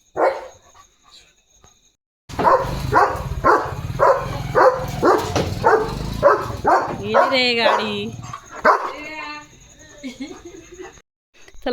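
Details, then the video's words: German Shepherd guarding at night as a vehicle passes, a rapid run of about two barks per second, later mixed with a person speaking and whining, yelping sounds near the end. "German Shepherd Barking & Protecting at Night"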